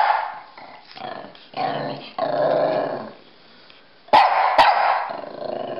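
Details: Pekingese and Bulldog at play, chasing each other; long rumbling play growls in sustained bursts of about a second, broken by a couple of sharp snapping sounds, followed by more growling.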